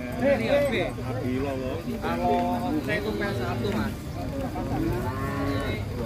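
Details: Short wavering moos from the big bull Bimasakti as it is unloaded from a truck, overlapping with men shouting and chatting nearby.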